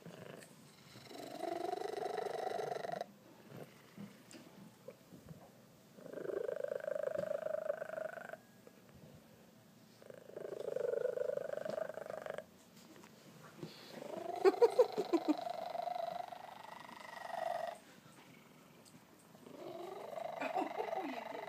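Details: A male Maine Coon cat gives long, loud, drawn-out sounds repeated every few seconds, which the owner calls a loud purr that shows he is happy.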